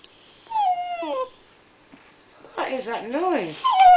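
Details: Pet husky 'talking' while wanting a share of someone's toast: a drawn-out whine falling in pitch, a short pause, then a quick run of wavering, rising-and-falling yodel-like moans.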